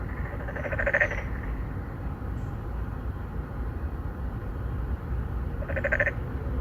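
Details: Narrow-mouthed frogs calling for females from an apartment-complex pond in Songdo, Incheon, South Korea, 2019, on a Galaxy Note9: two loud buzzy croaks about five seconds apart, separated by constant low droning noise.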